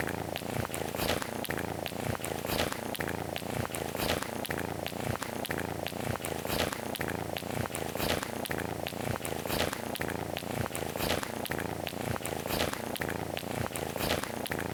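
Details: Domestic cat purring loudly while happy, a deep rumbling motor-like drone that pulses steadily about forty times a minute, likened to a motorcycle engine, continuous throughout with no other sounds.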